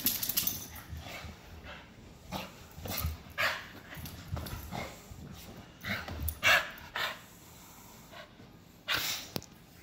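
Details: Dogs soaked and worked up after Hurricane Michael, running about in excited zoomies; short sharp barks and yips burst out irregularly, a few loud ones near the middle and end, over a steady noisy background.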